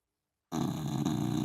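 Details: Sleeping Dachshund snoring loudly: a rough, rasping low-pitched breath begins abruptly after half a second of silence and rattles steadily to the end, indoors.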